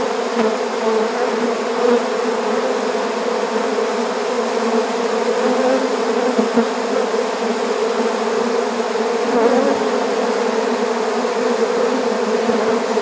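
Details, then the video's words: Swarm of honeybees being captured into an empty bee hive, giving a loud, continuous low buzzing drone with a steady pitch that wavers slightly in intensity. "How to Capture a Honeybee Swarm"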